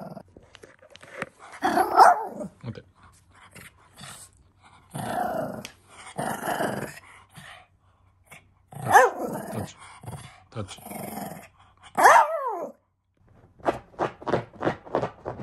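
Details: Household Shih Tzu named Hanimaru, May 2023, growling and barking in bursts over about fifteen seconds, with a rising-then-falling yelp near the end and a quick run of short yips at the close, with people speaking Japanese.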